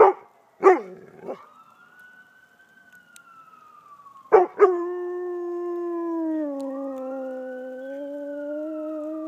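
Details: A dog howling along with a passing ambulance siren; a sharp bark and a short whine come first, then a long, steady siren tone with a wavering, sustained howl.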